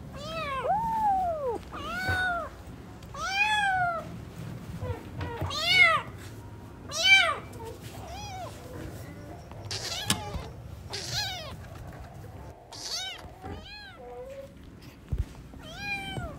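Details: Newborn kittens at play with their cat family, giving a rapid series of high, arched meows, many overlapping and repeated roughly every second, some rising then falling, with faint low background rumble.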